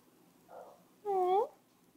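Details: Wilson, a Yorkshire Terrier, crying indoors to get a cookie: a single high, drawn-out whine lasting about half a second, preceded by a faint soft sound.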